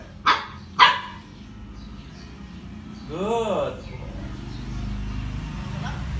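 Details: Roscoe, a pet dog, answers a math question with two short, sharp barks about half a second apart, followed by a man's voice praising him as a good boy over a low room hum.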